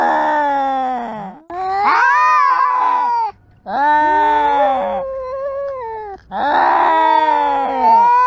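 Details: Live recording of cats voicing their emotions by meowing and screaming: four loud, drawn-out wailing meows, rising and falling in pitch with rich harmonics, separated by brief silences.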